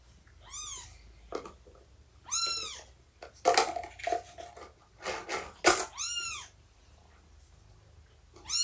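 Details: Shelby, an estimated two-year-old cat abandoned just before giving birth, indoors on the morning of 24 September 2017 during nursing and play; a series of arching meows every second or two between sharp clicks and handling noises.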